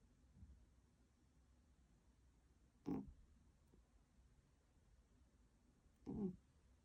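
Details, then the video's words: Berry, a sleeping tuxedo cat, snoring: two soft, raspy breath sounds about three seconds apart, low-pitched and quiet against a still indoor background. "코골이 하는 베리"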